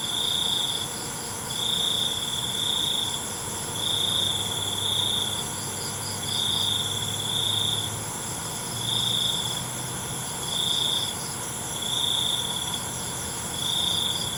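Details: Night cricket chorus, natural sounds for calm: short shrill trilled bursts of about a second repeat roughly every one and a half seconds, with a soft low hum beneath and fainter higher insect buzzing.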